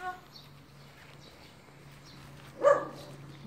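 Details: Chihuahua outdoors on a sunny day, one of a family of three small chihuahuas, gives a single short, sharp bark near the end after a quiet stretch, with faint bird chirps in the background.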